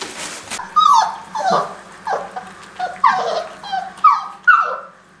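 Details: Greater Swiss Mountain Dog puppies going for the hunt give high, falling whimpers and yips, about six separate cries that each drop sharply in pitch, spaced roughly half a second to a second apart, with a steady low hum behind.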